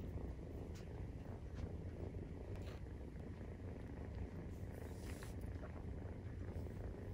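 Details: Maine Coon purring while nursing, 43 days after birth: a dense, low vibrating drone holds steady throughout, overlaid by occasional soft rustles and brief higher-pitched scratchy noises.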